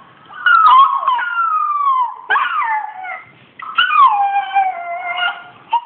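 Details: Kålle the Australian Shepherd responds to a Rottweiler puppy with three long, falling, whining howls, each starting high and sinking gradually, with a quiet pause between them.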